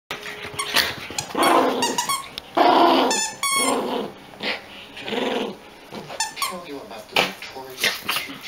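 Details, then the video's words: Two long-haired Chihuahua brothers play-fighting over a toy: bursts of squeaky, high growling with sharp yelps and whiny squeals, coming in quick uneven runs, with faint human voices. "Long-hair chihuahua brothers wrestle for toy"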